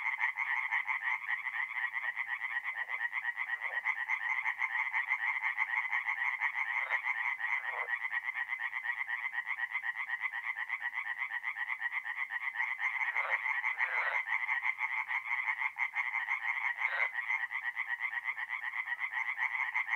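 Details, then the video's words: Many tree frogs sing at night at a forest pond in north-east Italy in mid April, forming a steady, dense rattling chorus of rapid croaks, with occasional short, lower knocking notes breaking through. "relaxing forest pond by night with singing tree frogs"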